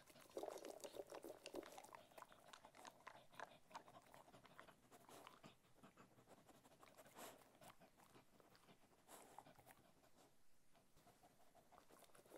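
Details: Cocker Spaniel enjoying different kinds of food, giving steady irregular chewing, crunching and lip-smacking clicks at roughly three per second, loudest in the first two seconds, with soft wet licking sounds.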